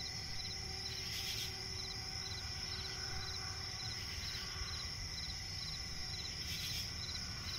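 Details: Crickets calling at night in a swampy forest, high sustained trill with rapid repeating chirps, brief hissy bursts now and then, and a steady low humming tone running through the background.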